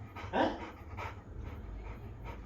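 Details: Labrador Retriever panting indoors: short breathy bursts about every half second, the first one louder with a brief tonal edge, over a steady low hum.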